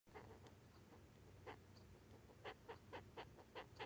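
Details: Japanese rhinoceros beetle, an adult three months after emerging, still active in November, making its courtship sound: soft, dry, scratchy pulses that come in short, uneven bursts, faster toward the end. Faint steady hum in the background.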